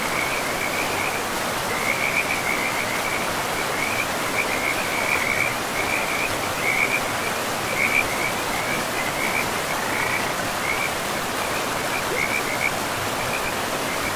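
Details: In a pristine forest by a river, frogs keep up a long, evenly repeated series of short rasping croaks, softer at first and then stronger, over constant rushing water.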